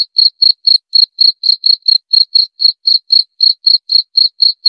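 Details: Cricket chirping steadily in short, high, shrill pulses, about four per second, with a faint higher overtone above each pulse; no other sounds, a clean continuous rhythm offered for repelling rats and easing insomnia.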